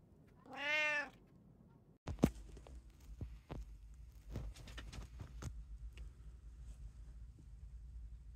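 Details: A house cat from a group of three (tabby, Abyssinian, short-legged Munchkin) lets out one brief meow, then low thumps, rustling and scattered clicks fill the rest of the recording.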